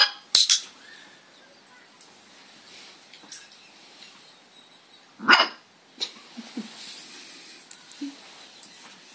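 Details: An 8-week-old red merle Cardigan Welsh Corgi puppy gives a few sharp, high-pitched barks on a bark command, with long quiet gaps between.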